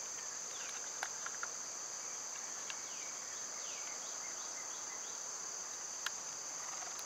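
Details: Loud summertime cicadas: an unbroken high-pitched buzz fills the background, with a few sharp taps and soft, sliding bird notes around the middle.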